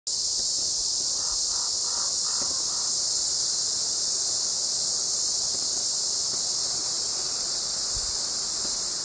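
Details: Cicadas recorded in Flagstaff, Arizona, in summer 2019 give a steady, high, hissing buzz that runs unbroken from start to finish; they sing every 5-7 years.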